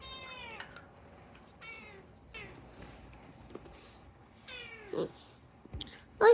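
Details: Unagi, a chatty rescued house cat, gives a few short descending meows spaced about a second apart, then a longer falling mew and a sudden louder cry at the end, indoors with a low background hum.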